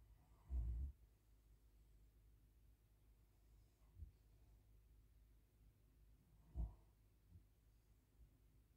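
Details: Max, a Great Pyrenees, sleeps after tiring himself out playing at the dog park. Two deep, low snorts sit about six seconds apart, separated by a quiet indoor hush.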